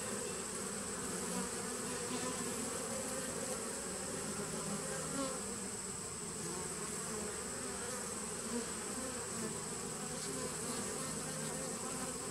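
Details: A nucleus colony of honey bees from 2017, recorded 2018.09.19, gives an unbroken low, thick drone with layered buzzing tones and a steady thin high whine over it, no breaks in the sound.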